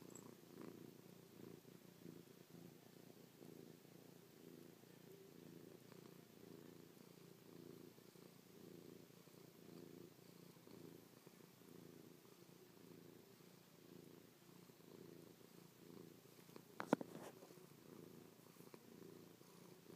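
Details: Domestic cat purring while snuggled against its owner after sleeping on the owner's back all night; a faint, continuous low rumble with a brief sharp knock near the end, indoors.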